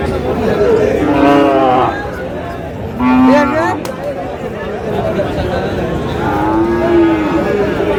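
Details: Sahiwal cattle at a crowded market in Chattogram, Bangladesh, where a farmer buys a bull calf; three separate moos, each under a second and spaced a few seconds apart, heard through constant chatter and bargaining voices.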